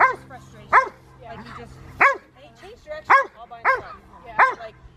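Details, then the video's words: Old English Sheepdog named Monty at work herding sheep, giving loud single barks at uneven gaps of about half a second to a second, softer yips between them, and people talking quietly. "Monty Old English Sheep Dog Herding Sheep"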